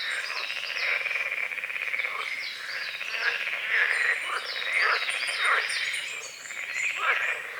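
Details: Dawn chorus of frogs on a small forest-edge lake among calamus and water lilies in morning fog. Continuous pulsing croaks form a thick bed of sound, with bright bird whistles and short chirps threaded above.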